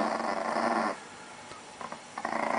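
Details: Chihuahua in Russia guarding pancakes, giving a rough, rumbling growl for almost a second before it stops. Faint indoor sounds follow.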